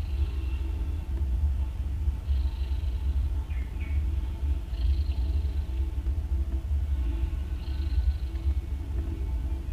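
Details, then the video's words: Nursing domestic cat snoring loud, three newborn kittens suckling beside her; low droning rumble underneath, breathy hissing swells recurring every few seconds, one brief higher squeak near the middle. "Cats Snoring loud While Nursing"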